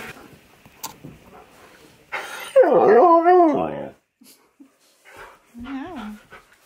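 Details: Impatient husky demanding to leave, giving a loud wavering howl-like vocalisation with bending, warbling pitch for about two seconds, then a shorter rising-falling whine near the end; brief human voice earlier, indoors.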